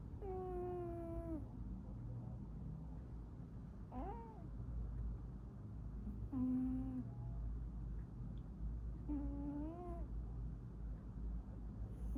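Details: A pet cat snoring indoors: drawn-out, tonal, falling moans, one with each breath roughly every two to three seconds, four in all, over a steady low hum.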